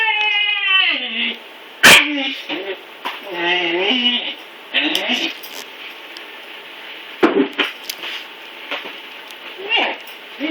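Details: Blizzard, a neutered male Siberian husky puppy having trouble climbing stairs, starts with a falling whine, then gives shorter wavering whimpers among scrapes, thumps and clicking noises indoors.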